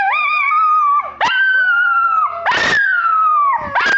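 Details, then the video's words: Pair of pet dogs howling in a playful singing session: sustained wavering tones that sag and swoop, each run cut off by a brief harsh yelp before the next long howl. "Dog Songs"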